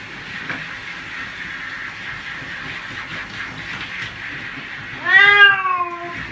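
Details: Cat in the middle of a bath: a long stretch of steady hissing background, then one sudden, loud, wavering meow near the end.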